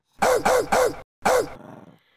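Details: Boston Terrier. A Boston Terrier barks in a rapid burst of three rough, rasping barks. After a brief pause comes one more bark, trailing off into a throaty rumble.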